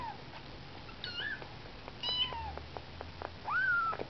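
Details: Young kittens, 19 days old, on a first outing from the nest: a few short squeaky mews, one longer wavering cry at the end, with soft tapping noises between calls.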